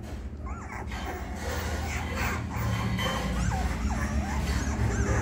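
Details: Twenty-day-old female Labrador puppies, a litter of three, let out thin rising-and-falling whimpers, several brief squeaky cries in a row, against a loud constant low droning background.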